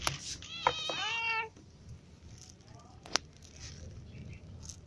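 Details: A single loud, rich meow rises then falls as ginger and other cats eat in the morning on a livestream, followed by quiet background rumble and one sharp tap.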